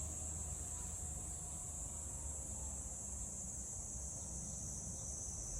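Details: Summer cicadas in Tokyo's Meguro ward, recorded 27 June 2023, give an unbroken shrill hiss-like buzz at an even level, with a dull traffic hum running underneath.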